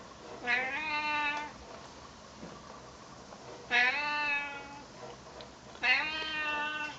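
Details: Talkative Siamese cat, a neighbour's friendly male, answering a person with three long, loud meows spaced about two and a half seconds apart, each rising at the start then held and falling slightly, in a quiet room.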